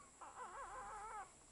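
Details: Newborn Alaskan Malamute puppy, about twelve hours old, one of a litter born in Wales, UK, calling for its mother: a single thin, wavering squeal lasting about a second, rising and falling in pitch over a faint steady background hum.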